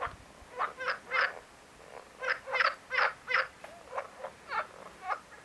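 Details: Marsh frog giving a run of rapid, pulsed, rattling croaks in quick groups, roughly three per second, with brief pauses between bouts; several overlapping callers nearby.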